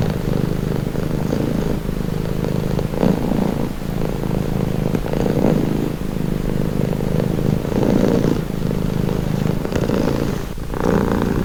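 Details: Relaxing purring of a domestic cat, a soft continuous low rumble with rhythmic breathing swells every two seconds or so, and a brief faint rustle near the end.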